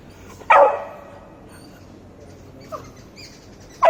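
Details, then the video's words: Beagle puppy trying to get a cat's attention, giving one loud sharp bark followed after a pause by a brief quieter yelp and the start of another bark; quiet room otherwise. "Beagle puppy making different noises to gain cat's attention"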